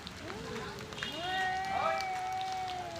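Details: Two male cats quarrelling over territory and breeding: a low rising moan answered by a louder, held, nasal yowl that climbs and then steadies, with faint outdoor rumble underneath.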